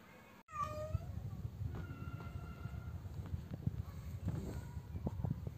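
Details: Domestic cat giving a mating call, unable to find a mate: one loud, clear meow that falls in pitch near the start, then only faint, soft sounds over a low background rumble.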